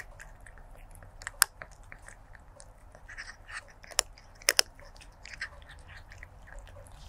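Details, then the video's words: Crunching stray kitten at its food, recorded 01-23-2024 with a lavalier microphone: steady soft chewing broken by a few loud, sharp crunches, two in quick succession, over a low room rumble. "Stray Kitten ASMR Eating & Crunching Food Sounds"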